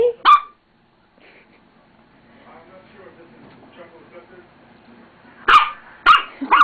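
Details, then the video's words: Roxy, a female dog, barks at her own reflection in a mirror she has just discovered. A sharp bark opens, then quiet murmuring voices, then three loud barks in quick succession near the end. "Roxy Barking"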